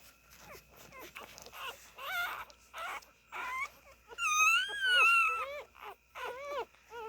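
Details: Nursing Siberian Husky puppies whimpering indoors: scattered short squeaks, then a loud drawn-out wavering wail, followed by quick rising-falling yelps.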